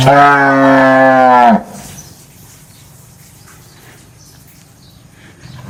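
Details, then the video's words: Loud cow moo, deep and harmonically rich, held steady for about a second and a half before dropping off sharply into quiet rural background, with another low moo just starting at the close. "Tiếng con bò kêu ỤM BÒ/ The sound of a cow mooing"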